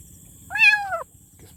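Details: One loud kitten meow lasting about half a second, arching up and then dropping at the end, clear and harmonic against quiet low background noise and a thin high-pitched hum.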